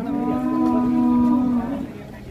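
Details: A large jumbo cow at an Indonesian cattle pen gives one steady, drawn-out low moo lasting about a second and a half, then trails off, with faint background noise.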